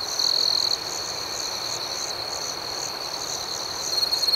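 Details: Crickets at night: a steady high-pitched trill runs throughout, with soft pulsed chirps above it at about four per second, and a louder, brighter stretch near the start and end.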